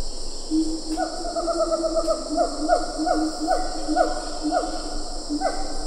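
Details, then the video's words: Siamang calling at medium-close range in Ketambe Forest, with a few lar gibbons in the background. A series of hooting notes with rich overtones, each sliding sharply downward, comes about every half second and builds in pitch. A steady high insect hiss runs throughout. "Siamang Gibbon. MCU Calls."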